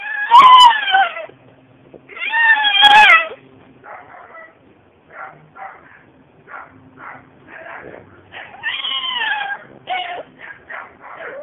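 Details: Deaf seven-month-old female French Bulldog screaming in loud, harmonic, wavering wails, two long bursts followed by a run of short yelps roughly every half second, then another long rising-falling scream.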